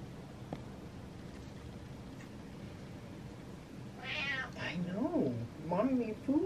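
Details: An attention-seeking pet cat meows twice near the end after a quiet stretch, the calls rising and falling, while a woman talks to it indoors.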